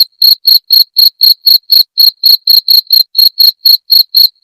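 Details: Cricket recording meant for chasing off rats, tagged jangkrik genggong. Piercing chirps pulse rapidly, about seventeen in four and a half seconds, slightly uneven in spacing. Clean, quiet background.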